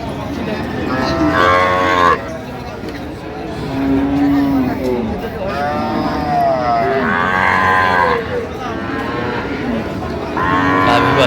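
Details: Cows and calves at the Amabari Haat cattle market, with loud, drawn-out moos that rise and fall, each about a second long, repeating three times over the market's steady murmur of voices.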